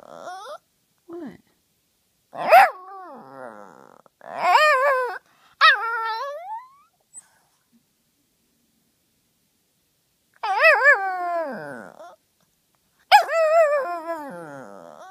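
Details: Nugget, a female Yorkie Pekingese dog, asking to play in her own unique way: a series of drawn-out, whiny, warbling vocal bursts with wavering pitch, about five separated by pauses, some rising then sliding down, indoors.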